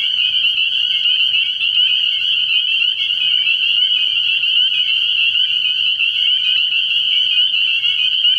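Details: Spring peepers chorusing at night in early year at a frog pond, a dense wall of shrill, high peeps overlapping continuously and steadily with no pauses, with a faint low hum underneath.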